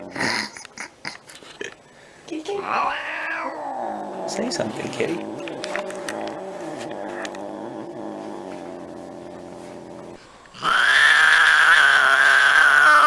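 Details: Domestic cat from a cat fight compilation: tapping and clicks, then a drawn-out wavering yowl rising and falling for several seconds, ending in a sudden loud, high screech.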